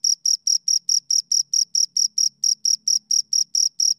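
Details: Two crickets chirp in a steady, rapid rhythm of high, pure pulses, about four each second.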